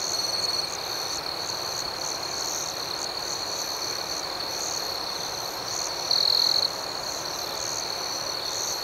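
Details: Many crickets chirp through the night in an unbroken shrill drone with quick regular pulses. One nearer insect trills loudly for about half a second past the six-second mark.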